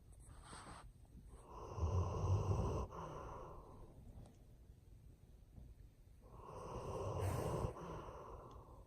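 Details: Ernest, an old German Shepherd, snoring in his sleep: two long, raspy, breathy snores several seconds apart, each swelling for about a second and a half, with quiet breathing between them.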